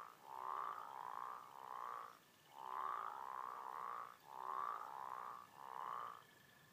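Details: An American bullfrog sounds three bouts of three resonant, droning croaks each, the notes about half a second long and run closely together, with quiet pauses between bouts.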